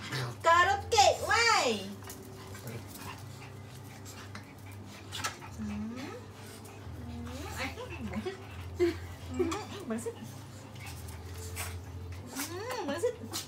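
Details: Pomeranian and Poodle seeking hugs from their people: a loud, wavering whimper rising and falling sharply near the start, followed by softer scattered whines, with a woman talking affectionately and a constant low hum.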